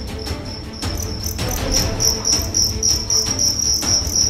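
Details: Fighting cricket from Karawang, West Java, size 7, weight 1.4 grams, during a test: high piercing chirps grow louder midway, coming in quick regular pulses over a rumbling, scraping low background.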